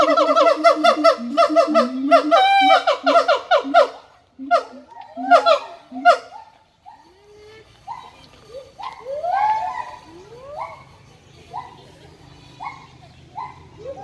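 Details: Siamang pouring out rapid, loud, harmonic barks that slow into a few separate hoots, then softer rising upslurred notes over a faint low hum.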